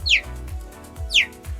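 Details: Cheetah, a wild cat that cannot roar, gives two sharp, bird-like chirps that fall quickly in pitch, about a second apart, over background music.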